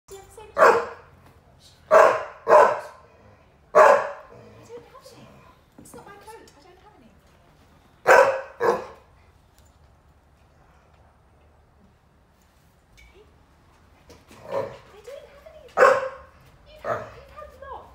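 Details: Ridgeback Staffy cross female dog, indoors at home, complaining that a Saluki Lurcher companion is boring because she wants him or anyone to play; sharp barks in clusters of two or three with long quiet gaps, a person talking softly between them.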